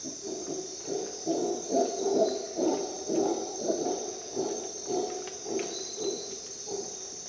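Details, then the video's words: Howler monkey in Costa Rican jungle at dawn, producing fast, deep, gravelly roaring pulses in quick succession, accompanied by a steady high-pitched drone of insects. "Dawn in Costa Rica jungle - Howler monkey sounds"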